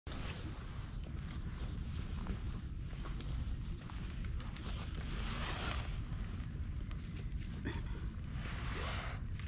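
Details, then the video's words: Stray female cat purring loudly while being petted, a dense low rumbling texture running steadily through the whole stretch, with faint rustling on top. "A stray cat with silent meows but loud purrs"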